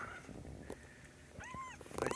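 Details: Kitten handled indoors during a health check, letting out one clear, rich meow that rises and falls, rings with bright overtones and lasts about a third of a second. Rustling and handling noises come before and after it.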